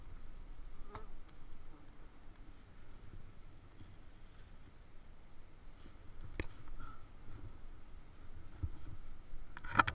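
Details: Wild bees at a small nest hum in a low, steady drone with a few sharp clicks.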